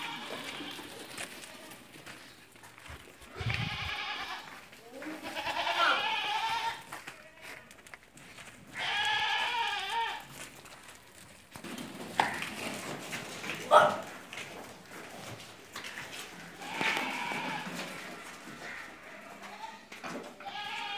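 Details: Barbari and Sojat female goats, does that have given birth once or twice, at a farm in Ajmer, Rajasthan: repeated drawn-out quavering bleats every few seconds, some overlapping, amid farmyard hiss and brief clatter.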